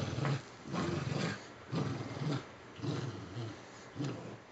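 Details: Puggles growling during a tug of war over a stuffing-less toy squirrel, one dog playing limp while the other drags her; low throaty growls pulsing in short bursts about once a second, separated by brief pauses.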